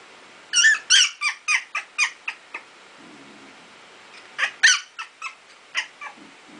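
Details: Two-week-old Icelandic Sheepdog puppies playing indoors and learning to bark; high, squeaky yips in two quick bursts, about six and then five sharp calls, separated by a short quiet pause.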